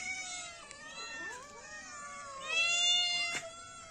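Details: Kitten or cat meowing: long high harmonic-rich cries, a sustained wavering tone with downward-sliding notes, then a louder rising-falling meow near the end, with faint clicks.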